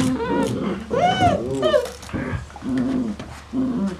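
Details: Female Great Dane puppies, about 5 weeks old and from a kennel litter, give high, arching whines and yelps that rise and fall in quick bursts.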